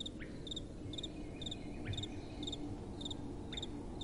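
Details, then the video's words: Nocturnal cricket chirping, short high double pulses recurring about every half second, with faint sweeping notes and gentle wind humming low beneath. "Relaxing Night Time Sounds | Crickets & Soft Wind"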